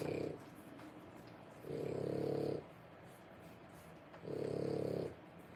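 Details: Three-week-old French Bulldog puppies, born 1/10/25, make low, rough, snore-like grunts in three bursts of roughly one second each, spaced a little over two seconds apart, against a quiet indoor background.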